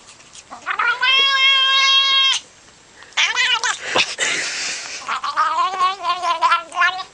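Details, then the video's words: Pet cat making a crazy noise when petted: a long, steady, strongly harmonic yowl held over a second, a pause, then wavering, rising and falling drawn-out cries with a breathy, raspy stretch in the middle. "Cat Makes Crazy Noise When Petted"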